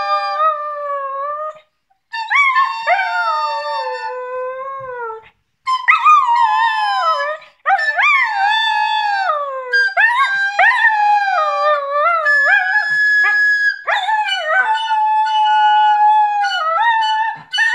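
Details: A 9-month-old female Border Collie howls along with a flute in long, wavering, sliding tones.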